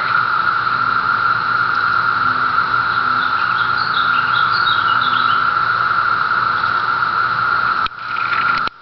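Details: Seventeen-year periodical cicadas emerging on Cape Cod fill the air with a dense, unbroken droning chorus, a steady high hum holding one pitch for about eight seconds before briefly dropping away near the end.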